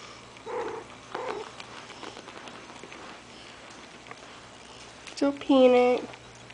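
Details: Morkie (Maltese/Yorkie) puppies aged five weeks, kept indoors: two faint low grunts, then a clear, drawn-out, tonal whine near the end, steady in pitch for under a second, with quiet talking around them.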